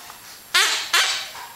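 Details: A female Yorkshire Terrier plays with her toy on a living-room couch indoors. She gives two sharp, high, yappy barks less than half a second apart, each fading quickly in the small room.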